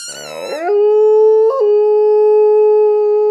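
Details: Stella, a family pet dog, howls with her squeaky toy: a shaky rising start gives way to a long, steady, pure howl held for almost three seconds, with a brief upward flick midway.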